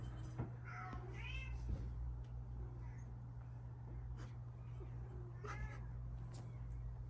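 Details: Two British Shorthair kitten sisters, one lilac and one fawn, aged 3.5 months (born 28 June 2023), give thin, high meows that rise and fall over a steady low hum.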